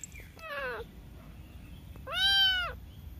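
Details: Two meows from a cute cat: a brief descending mew, then a louder, drawn-out arched meow with rich harmonics, over quiet low-frequency hum.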